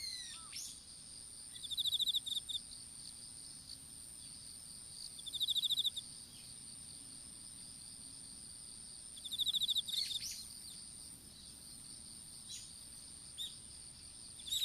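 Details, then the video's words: Insects sing in an outdoor strawberry field, recorded on a smartphone that fell during seedling planting. Short fast-pulsed high chirp bursts return about every three to four seconds above a steady shrill background hum. "虫の鳴き声in いちご畑"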